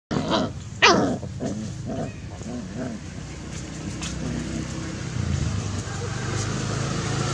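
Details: Puppies play-fighting, giving low rough growls and short yelping bursts in the first three seconds, then a steadier low grumbling rumble through the rest.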